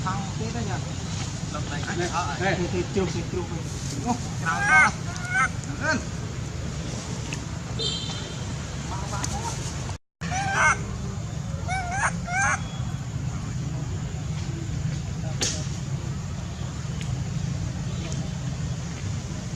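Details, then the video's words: Baby monkey Sweet pea cries loudly, angry at his mother: short harmonic wavering squeals come in scattered bursts over a constant low rumble of wind or traffic, with a brief dropout midway. "Baby monkey Sweet pea crying loudly cos he angry his mom"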